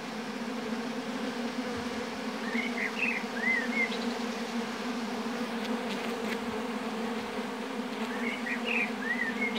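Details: Steady, even droning buzz of many honey bees at their apiary hive, continuous and unbroken, with short high bird chirps heard twice, near the third and eighth seconds.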